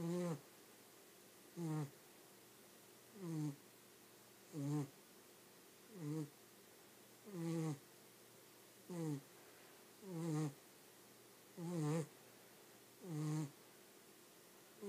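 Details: A dog snoring steadily in its sleep, keeping it up without stopping: ten deep, rumbling snores at an even rhythm of roughly one every one and a half seconds, each a short buzzy groan with an airy rasp on top.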